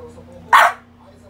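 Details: French Bulldog named Pogi, playing with rubber toys and acting stubborn, gives a single short, sharp bark over a steady low household hum.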